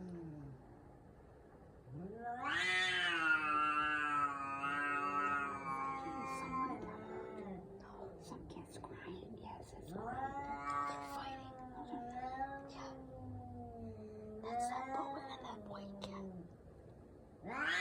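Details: Cats fighting in a backyard, one letting out a loud, harsh, sustained wail, then quieter drawn-out moaning yowls that waver and drop, with light rustling and clicking sounds scattered throughout.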